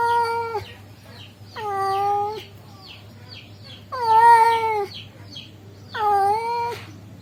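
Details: Male cat calling a female cat: four drawn-out meows, each dipping slightly in pitch, spaced about two seconds apart, with faint hum in the background.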